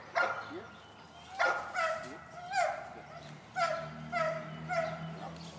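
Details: Eight-month-old male golden retriever during retrieving training on short single marks, giving a series of about seven sharp, harmonic barks with some falling tails, spaced under a second apart. Faint background hum.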